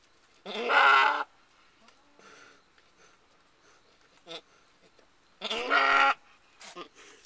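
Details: A female Alpine/Nubian goat gives two loud, wavering bleats several seconds apart while giving birth to her first kid of the year, 14 May 2010.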